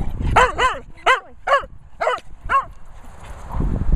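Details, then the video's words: Benji, a Cocker Spaniel, barks while retrieving in Worcestershire countryside: six sharp, ringing barks in quick succession, some paired, then a pause with low rumbling background. "Cocker Spaniel Barking Benji retrieving."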